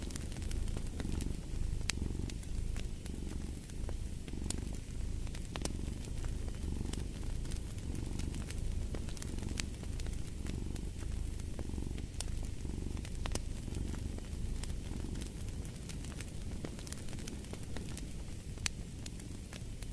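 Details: Cat purring beside a crackling fireplace: a steady low rumble with soft swells roughly every second, scattered sharp pops and crackles of burning wood throughout.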